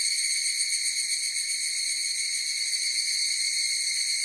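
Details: Higurashi (evening cicada) chorus in a natural setting: a steady, even, high-pitched ringing buzz with stacked overtones and a fast flutter, continuous throughout with no gaps and no other sounds.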